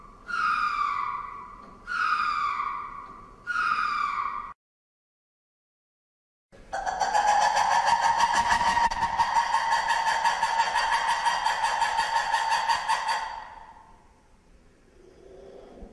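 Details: Ring-tailed lemur calls: three short descending wails about 1.5 seconds apart, then a break of silence and a sustained, steady, harmonic-rich howl lasting about six seconds before fading.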